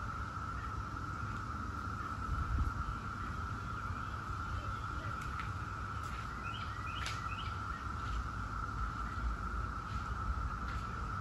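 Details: Chorus of 17-year Brood X periodical cicadas as a continuous level whine, with a few bird chirps, sharp clicks and a deep rumble of background noise.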